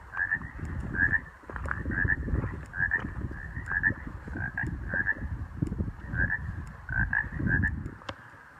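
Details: Frogs calling at Humming Bird Lake in the Hoover Wilderness in June 2018 on a windy day with snow about: short, chirpy double croaks repeated every second or so, over steady low wind rumble.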